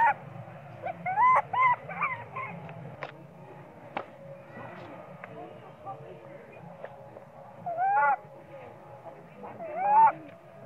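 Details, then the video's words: Hungry baby monkey Sweet Pea cries for milk, ignored by its mother: tonal whimpering wails that rise and fall, clustered early, then again near eight and ten seconds, with quieter murmuring between. "baby monkey cry & screaming loudly but mom monkey not care much of him"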